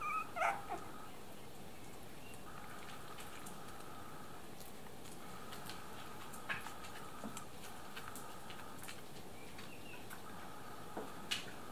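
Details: Three-week-old Miniature Dachshund puppies from a litter, giving soft, thin high whines that rise and hold steady, repeated in several drawn-out bouts with short gaps, plus faint scuffling and clicks in a quiet room.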